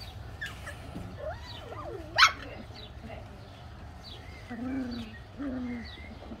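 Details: Bedlington Terrier puppies whimpering and squeaking, with short rising and falling whines, one sharp high yelp near the middle and steady low background hum.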